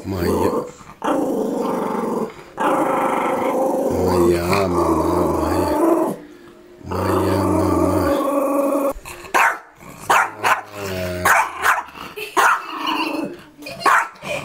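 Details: Yorkshire Terrier protecting its mistress, growling in long sustained rumbles with a few sharp barks, while a person repeatedly says "mama" close by.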